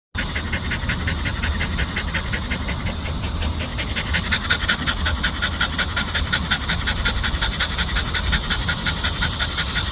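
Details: Country dog panting in the lingering late-summer heat: fast, steady rhythmic breaths, about three per second, evenly repeated throughout over a constant low background hum.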